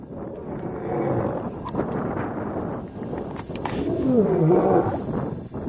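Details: A male lion in the Masai Mara near Talek gate, Kenya, before sunset gives deep, rough, rumbling roars from close by. He rises after lying beside a vehicle, perhaps getting ready for the night hunt; brother lions are nearby.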